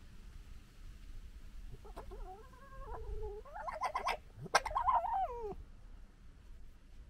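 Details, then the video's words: Two European red fox cubs gekkering on 15 July 2021, one a dominant, bullying male, squabbling over dominance: wavering harmonic whines rise and fall, then break into harsh, rapid stuttering chatter with sharp clicks before a final descending whine. "Fox Cubs Gekkering"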